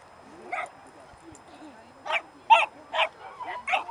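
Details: Dobermann puppy, four months old, at a puppy play group on 23 October: one short bark, a pause, then a run of five sharp, high yapping barks roughly every half second, with faint voices behind.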